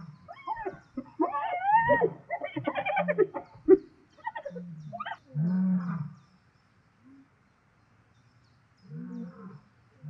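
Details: Hyenas and lions fighting over food in Zambia's South Luangwa National Park: a frantic burst of wavering, giggling squeals and yelps over low grunting growls, then quieter intermittent growls after a pause.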